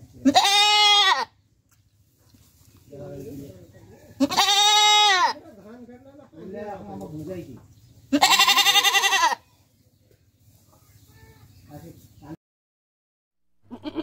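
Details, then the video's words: Domestic goat (Capra hircus) bleating: three loud, nasal, quavering bleats about a second long, roughly every four seconds, with softer, lower murmuring sounds between them and a brief faint sound at the end. "Goat Sounds Effect"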